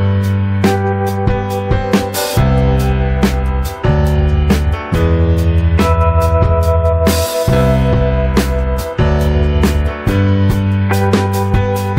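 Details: Loud band music with plucked guitar, keyboard and drum beats fills the recording, with no animal sound.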